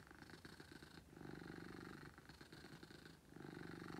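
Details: Beetle, a pet cat, purrs loudly in a low, buzzing rumble of rapid pulses, rising and falling as breaths alternate, with a brief dip near the third second before resuming strongly.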